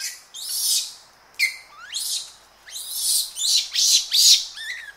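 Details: Japanese macaques, several animals, heard close up giving screams and aggressive calls amid rustling in trees with birds behind; shrill, harsh, high-pitched screams come in rapid bursts, some sweeping sharply up or down, about twice a second.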